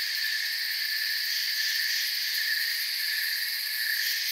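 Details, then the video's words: Crickets chirping softly in a calm forest at night: a steady, dense, shimmering chorus in several high bands, unbroken and even in loudness throughout, with no other sounds. "Forest Sounds and Crickets"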